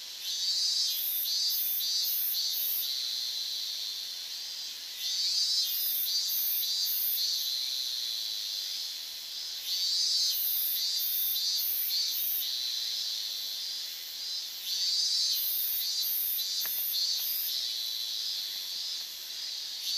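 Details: Higurashi cicadas massed in summer, August 2011, near the Minamisoma, Fukushima evacuation zone boundary; high trilling phrases surge in waves roughly every five seconds over a constant shrill background chorus.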